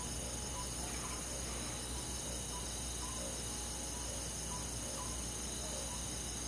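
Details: Countryside crickets and forest insects on a summer night keep up a thick, constant high trilling, while faint short lower notes recur every second or so beneath the chorus.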